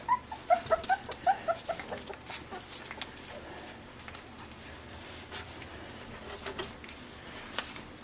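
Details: Pembroke Welsh Corgi puppies, five weeks old, in Arkansas on a deck; a quick run of short high yips and squeaks in the first two seconds, then soft clicks and shuffling noises.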